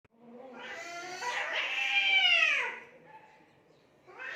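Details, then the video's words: Cats fighting near mud and water in Assam, India: a long drawn-out yowl that swells and bends up then down, loudest around the middle, trailing into a quiet moan before another wail begins. "assam cat fighting by mud & water original funny sounds"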